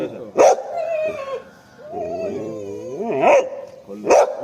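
A Boxer gives sharp barks with wavering, yodel-like moans between them.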